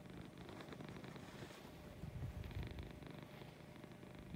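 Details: Domestic female cat purring in the morning, a low, steady rumbling pulse with slight swells in loudness and a faint background hiss.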